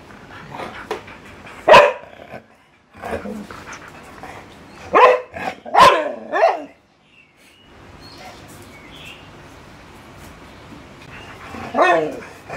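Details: Siberian Husky and Labrador playing, one dog inviting play: short harmonic barks in separate bursts with quiet gaps, a clustered run of yips around the middle and a final whining bark.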